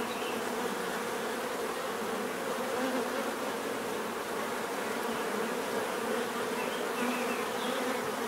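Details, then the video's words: Dense, unbroken hum of bees swarming, an even buzzing drone with slight swells in loudness and no other sounds. "bees therapy relaxing natural buzzing sound"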